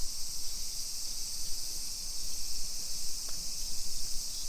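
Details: Summer cicada chorus along suburban streets in Nisshin, Aichi Prefecture, Japan, early afternoon of 28 July 2021: an unbroken shrill drone holding level throughout, with soft low background rumble.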